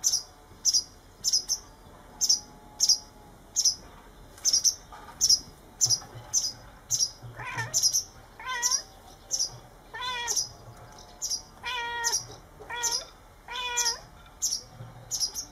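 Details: Domestic cats outdoors, giving a series of rising-falling harmonic meows in the second half, about one per second, over steady high-pitched chirping repeated roughly every half second from birds or insects throughout.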